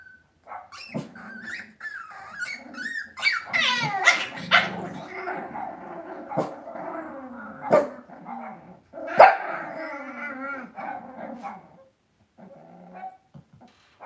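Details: Indoor pen of young Cavalier King Charles Spaniel puppies kept in a family home, giving rising and falling whimpers that break into sharp little barks, several voices overlapping, then trailing off into near quiet.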